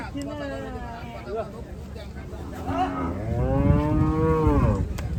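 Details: Gaiya cow on a cattle farm giving a long, deep moo that swells and holds steadily for about a second and a half toward the end, after fainter lowing, over a steady rumble of background noise.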